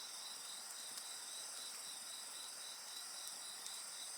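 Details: Dense, continuous high-pitched insect singing with a fast pulsed trill layered over steady bands, faint fire crackles now and then.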